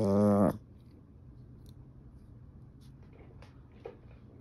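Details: A visibly annoyed Yorkshire Terrier gives a brief, tense vocal growl, then the room falls quiet.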